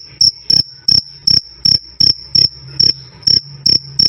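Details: Close, loud cricket chirps used to tutor songbirds: about ten sharp, high, ringing pulses with slightly uneven spacing, each a short double-edged burst, and a soft low hum between them.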